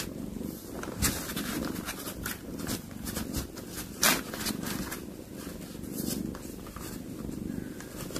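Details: Mother cat that caught a mouse to feed her kittens, calling to them: a steady low purring rumble runs throughout, broken by sharp clicks and rustling knocks.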